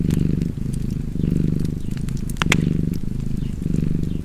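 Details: Cat purring in a cozy fireside setting, a rough low buzz broken into short breath-linked surges, with a few loud wood pops and crackles.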